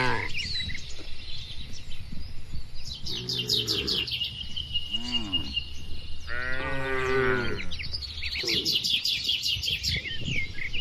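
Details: Several moos rise from tame cattle in a farm pen. A short one is followed by a brief lower one, then a longer, rich moo. Steady, high-pitched bird chatter continues in the background.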